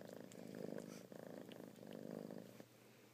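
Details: Purring from kittens, a close rhythmic rumble rising and falling in about three breath cycles, with a few light clicks and rustles over it.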